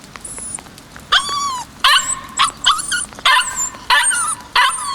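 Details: White male Kishu puppy, 56 days old, born 17 January 2020, recorded 14 March 2020, giving high yapping barks in uneven bursts with squeaky whining rises between them.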